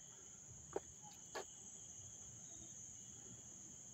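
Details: Crickets chirping up close in Dobbs Ferry, New York, on August 29, 2024: a steady, unbroken high trill with a fainter lower band beneath it, interrupted early by two brief sharp clicks.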